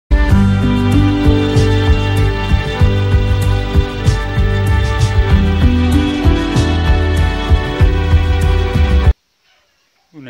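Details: Steady instrumental music with a low throbbing beat plays for about nine seconds, then cuts to near silence.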